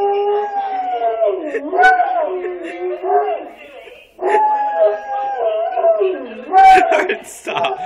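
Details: Pet yellow Labrador howling along with an answering machine at home. There are two long, wavering howls that dip and rise in pitch, with a short break between them. A brief person's voice and some clatter are heard near the end.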